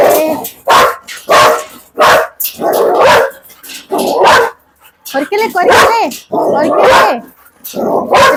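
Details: A Belgian Malinois lets out a steady series of loud, coarse barks, almost one per second, broken by brief gaps, as Malayalam voices talk over the dog.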